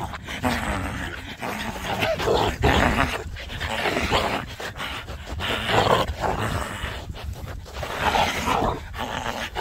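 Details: Young Border Collie, the second of its breed on Baengnyeong Island, during a happy play session; harsh, noisy growling and barking bursts repeat throughout with breathy panting between them and short quiet gaps.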